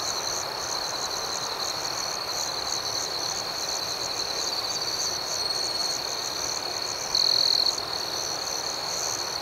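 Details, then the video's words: Crickets chirping at night: a steady, high, shimmering chorus with a faster pulsing layer above it. One nearer cricket gives a louder trill about seven seconds in. "Soothing Cricket Sounds"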